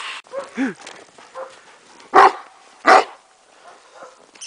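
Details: Zoltan, a Kuvasz dog, at play in snow with a boy. A brief whiny vocal sound opens, then two sharp, loud barks follow about a second apart. Soft voices are in the background.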